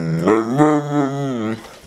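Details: Pet dog trying to say "I love you" when his owner asks for it with the promise of chicken: one drawn-out, voice-like moaning sound of about one and a half seconds, its pitch wavering up and down, with the owner's voice nearby.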